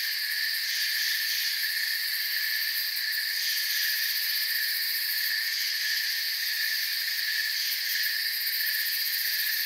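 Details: Chorus of crickets in a forest: constant high buzzing chirps from many callers layered into a bright, unvarying hum, some upper tones swelling and fading briefly; nothing else stands out.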